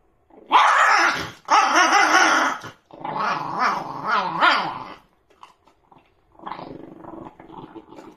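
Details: Indoor Shiba Inu guarding food, growling and snarling at someone nearby: long rough, wavering growls rising and falling in pitch over about four seconds, a short pause, then a softer rumbling growl.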